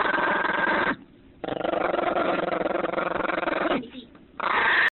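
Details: Female puppy, mad because her bone is being taken, keeps up a nearly unbroken rough growl with two brief pauses, while a person's voice can be heard alongside.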